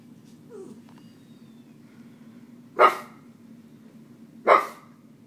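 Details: Pet dogs being deliberately annoyed by their owners let out two sharp, loud barks about a second and a half apart over a quiet low hum, with a faint high squeak near the start.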